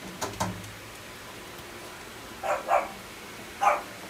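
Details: Sable-and-white female Shetland Sheepdog puppy at a pet shop, born December 2017: two quick barks open, then a pause of about two seconds before a close pair and one last louder yap.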